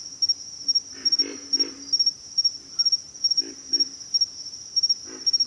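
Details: Short low grunts of pig frogs in pairs and small bursts, separated by pauses, while a high, steady insect trill with fast triplet pulses runs throughout.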